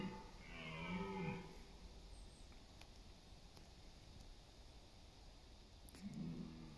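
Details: Red deer stag during the September rut in East Serbia's autumn forests, roaring for dominance and mates; one clear, deep harmonic roar opens, then a quiet stretch, then the start of another low roar.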